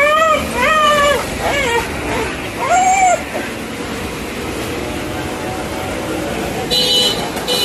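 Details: Street dog greeting a person with excited crying; several arched, high whines in the first three seconds, then traffic hum and a vehicle horn toward the end.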